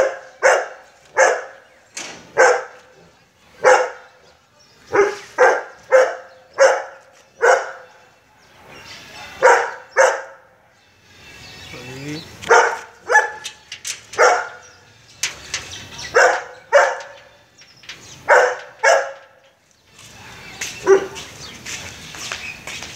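A Golden Retriever barks in loud, deep woofs, sometimes singly and sometimes in quick pairs.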